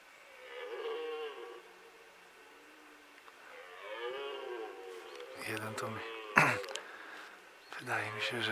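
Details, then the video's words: Red deer roaring in the rut on Sunday, 15 October 2018, in fog, one animal out of sight near a meadow. Two drawn-out moaning roars with falling harmonics come first, then a person talks quietly close by. "Rykowisko 2018 U mnie jeszcze ryczą."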